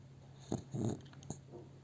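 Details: Pet dog sleeping in its owner's arms, filmed on a phone, giving short soft snuffling snore sounds, a brief puff then a longer low rasping breath and a faint click, indoors and quiet.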